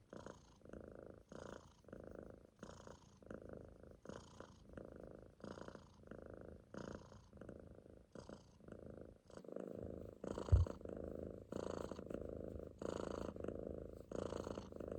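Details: A Munchkin kitten dozing in a loaf on its owner's stomach snores in short, regular raspy breaths about every 1.4 seconds, later growing longer and louder, with a brief soft thump near the middle.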